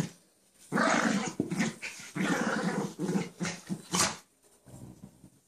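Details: Chance and Sally, two pet dogs, playing together indoors; a sustained stretch of harsh, grumbling growls with a sharper yelping note near the end, then fading to soft low rumbles.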